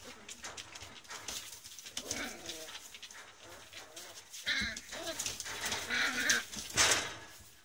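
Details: Three sibling puppies giving short, high whines and squeaky yelps in irregular bursts, louder toward the end, over rustling and shuffling sounds indoors.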